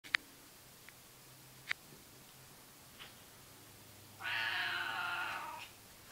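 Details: A seal point Siamese cat gives one long, loud, harsh meow, held steady for over a second.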